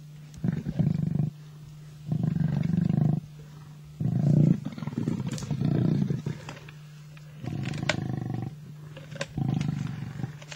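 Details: Rumbling snarls from two male lions fighting over a kill on an African safari. Harsh growls last about a second each, with gaps between them, and a constant low mechanical drone runs underneath.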